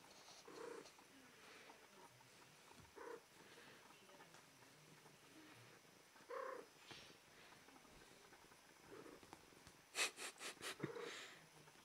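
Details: Female cat in heat in a come-hither pose gives three soft, brief mewing calls spaced a few seconds apart, followed by a burst of sharp clicking or rustling taps and another faint mew near the end.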